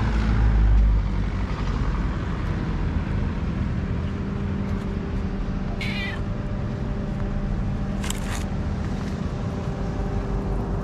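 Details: A calico cat in Morocco meowing gently for love and food gives two brief high meows several seconds apart, masked by steady vehicle rumble and background hum.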